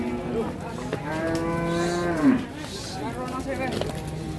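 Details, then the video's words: Angry cattle bellowing in Indonesia: a long, level moo that sags at its end, followed by a shorter rising-falling low, with faint background music. "SAPI NGAMUK"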